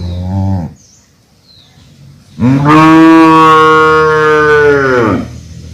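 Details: Calf mooing: a brief low moo, a pause, then a long, loud, steady moo lasting almost three seconds, rich in harmonics and ending with a slight falling tail.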